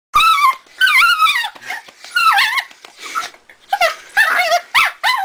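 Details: Lucy, a pet dog, making what are called undog noises: a run of high, wavering whines and yodel-like cries that rise and fall, in bursts with short pauses between them.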